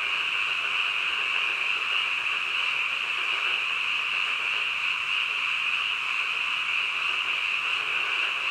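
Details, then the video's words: Frogs calling in the middle of the night, a dense unbroken chorus of many overlapping high trilling voices that merge into one steady shimmering drone, with no pauses and no other sounds. "한밤중 개구리 울음소리"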